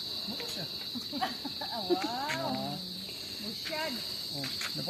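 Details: A steady, high-pitched insect drone rings without pause in a mangrove, heard from a bridge, with people talking in the background.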